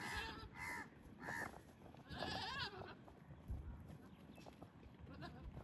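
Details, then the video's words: Male goats courting pregnant females during mating season, with females grazing and a young kid nearby; a run of short nasal bleats, four quick ones then a longer quavering bleat, over a constant high hiss and outdoor rumble. "Epic & Romantic Goat Battle: Strange Sounds, Gentle Touches & Pregnant Females"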